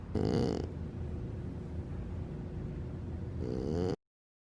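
A French Bulldog snores loudly, a rough rattling rasp that opens and closes a slow breath.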